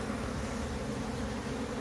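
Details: Wild bees from a split colony entering their new box as the queen is placed inside, producing a loud close steady hum, low-pitched and thick, with no pauses.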